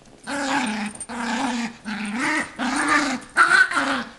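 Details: Playful 8-month-old female Yorkshire terrier trying to sound scary so her owner cannot take her toy; a series of five sustained, throaty growls, each about half a second to a second long, rising and falling slightly.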